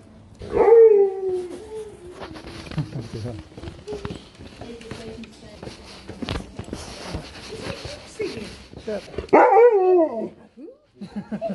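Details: Dog Sherpa in the UK, talking with people around: two brief yelping moans, each jumping up then sliding down, about nine seconds apart, mixed with people chatting and café noise.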